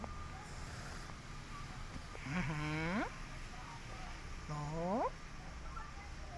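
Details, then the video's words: Stray cat asking for food gives two drawn-out, rich meows, each bending upward then sliding away, spaced about two seconds apart over a steady low outdoor rumble. "Stray Cat Hissing At Me But Asking For Food"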